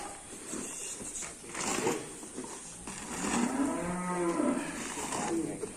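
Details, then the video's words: Angry, rampaging cattle on a farm; a long, rising-then-falling moo that swells through the middle, preceded by shorter grunting sounds, with crowd chatter and a man commenting in the background. "SAPI NGAMUK SUPER BRINGAS"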